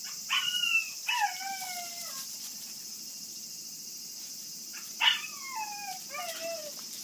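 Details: Forty-day-old puppies of a Kishu and Shikoku dog cross whimpering: two drawn-out falling whines close together, a pause of nearly three seconds, then two more downward-sliding cries, with a constant high-pitched background hiss throughout.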